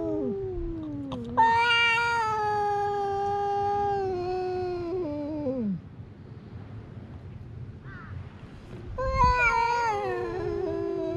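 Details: Cats quarrelling at a fishing port: a harsh, buzzy, long-held yowl sinking into a low growl, a quiet pause, then another wailing cry rising again.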